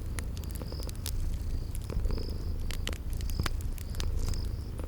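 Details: Cute sleeping kitties by a crackling fireplace, spring garden ambience: low, throbbing purr throughout, crisp crackle snaps, and drawn-out high insect chirps every second or so.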